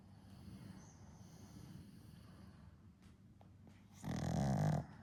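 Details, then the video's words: One-year-old pug sleeping and snoring softly during a daytime nap; low rumbling breathing, then a single louder, rough snore near the end. "Goemon the Pug Snoring & Sleeping Again"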